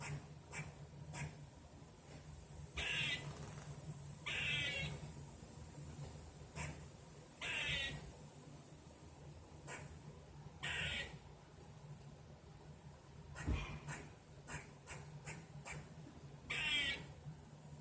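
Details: A squirrel outdoors, first mistaken for a bird, gives harsh, raspy barking calls in short bursts, repeated irregularly over a low steady hum.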